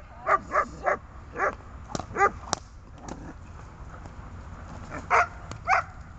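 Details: Dog on a tether during grip, fight and calming training; a few separate barks at irregular spacing, three close together at the start and two more near the end, with quiet gaps between.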